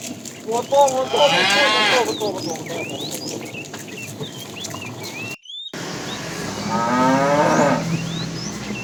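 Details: Tame cows herded toward pasture in the morning; two moderately loud, drawn-out moos, separated by a short break, over a background of chirping birds.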